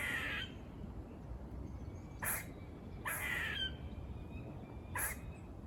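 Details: A squirrel near a farm barking in a buzzy way: three or four short rasping bursts spaced about a second apart, with quiet thin whistles and a low background hum between them.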